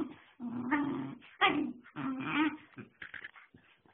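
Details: Airedale Terrier puppy named Rex Pierre making whining, grumbling vocal sounds, a low throaty voice with higher yelping overtones in several uneven bursts over four seconds, fading into softer short noises at the end.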